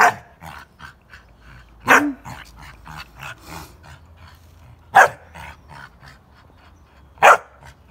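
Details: Three-and-a-half-month-old Pit Bull puppy kept as a guard dog, giving sharp, high puppy barks spaced irregularly a few seconds apart, with softer rustling and faint yips between them and human talk nearby.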